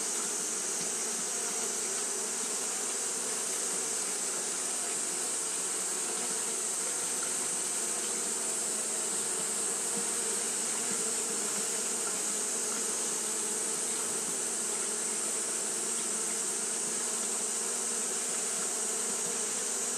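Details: Hot-day fanning by Japanese honey bees gives a dense, unbroken buzzing hum with faint rhythmic flutter, set against a loud steady high-frequency hiss.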